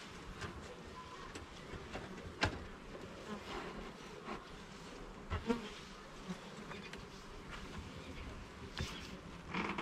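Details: Continuous droning of honey bees from a hive being inspected frame by frame in a garden, a low even buzz with scattered clicks, taps and rustles from handling the wooden frames.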